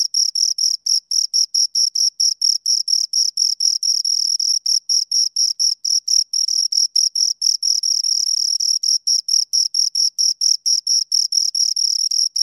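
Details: Close, loud chirping of two crickets: fast, rhythmic high-pitched pulses repeating several times a second, nearly unbroken, with a bright ringing tone and nothing else audible.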